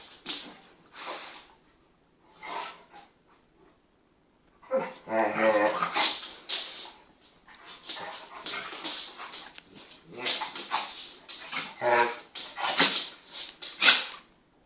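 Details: Venus and Tyson, an 8-month-old full Kangal puppy and a Kangal cross half his size, playing together indoors. Whiny, whimpering vocal bursts come in clusters, loudest near the middle and end, with human speech mixed in throughout.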